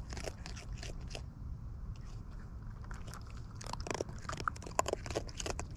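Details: Wild raccoons feeding at close range, eating with natural chewing noises: irregular crunchy, crackling bites and wet smacking bursts, denser toward the end, over a steady low rumble in the background.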